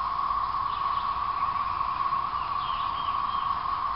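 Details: Periodical cicada chorus from the 2011 thirteen-year emergence, late April to May; an even, unceasing buzzy drone, with faint higher bird chirps drifting over it in the second half.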